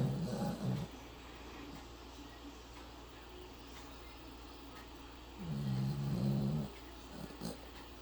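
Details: Sleeping Yorkshire Terrier snoring loudly, said to sound like a human; two long low rumbling snores, one at the start and one past the middle, separated by quiet breathing.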